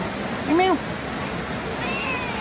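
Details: A cat meows once in the rain, a short rising-then-falling cry, with steady rain hiss throughout and a faint second drawn-out tone near the end.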